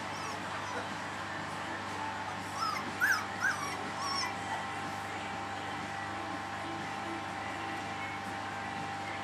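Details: Puppies three weeks old make a quick cluster of thin, rising and falling squeaks and whimpers in the middle of the clip. The rest is quiet apart from a steady background hum.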